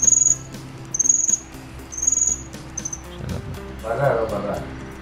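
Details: Cricket giving four short high trilled bursts about a second apart, the last one shortest, then falling silent as a muffled, lower-pitched rustling sound rises near the end.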